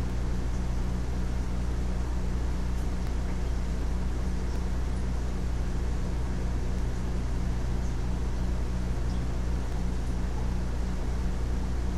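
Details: A constant low engine-like hum fills the recording, with no animal calls heard.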